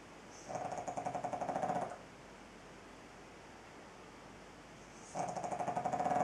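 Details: A pug snoring: two long, rattling, fluttering snore breaths, each about one and a half seconds, with a thin whistling tone running through them, separated by a quiet pause of about three seconds.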